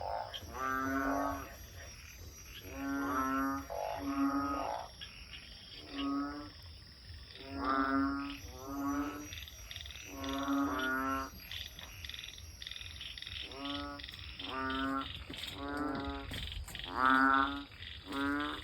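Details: Banded bullfrogs calling beside a house after heavy early-evening rain, keeping up all night until dawn: a chorus of low, buzzy, throbbing croaks, each about half a second long, overlapping from several frogs, with a thin steady high insect drone behind.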